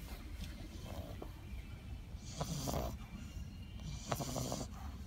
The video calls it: French bulldog sleeping and snoring so loud.